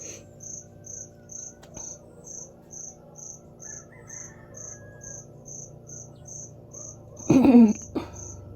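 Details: Hidden indoors in a store, a cricket keeps up its noisy call on Monday morning, September 8, 2025: regular high ticking pulses about twice per second, then a short burst of a person's voice near the end.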